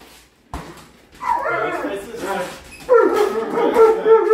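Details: Alaskan Malamute, a giant male pet, eager for his chicken reward after an insulin injection at feeding time; whiny, rising moan that settles into a sustained, wavering tone, mixed with indoor speech.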